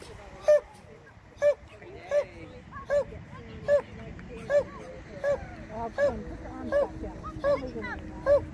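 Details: Border Collie on a novice agility run barks sharply and steadily, about eleven clipped barks spaced under a second apart across the run. Faint movement noise and a low background hum lie underneath.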